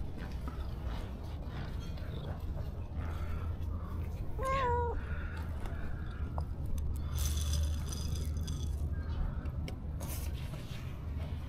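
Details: Hungry stray cats surrounding someone who feeds them give a single clear meow midway, rising then falling with bright harmonics, over a constant low rumble and scattered clicks.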